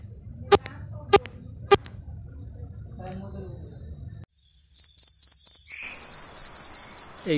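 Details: Insect heard at night, the kind said to make the night sounds: sharp broadband taps and clicks in the first half, then a loud, very high, rapid pulsed chirping trill in short repeated bursts after a brief silence.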